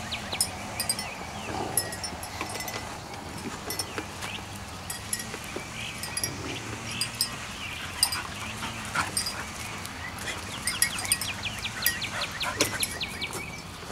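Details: Puppies at playtime give faint, high squeaky whimpers and short yelps, scattered irregularly through the stretch over a steady background hiss.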